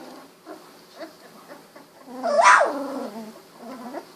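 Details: Newly sighted Golden Retriever puppies, 16 days old; soft murmuring squeaks lead into one loud whine that rises sharply and then slides back down, trailing off into quieter mewing grumbles.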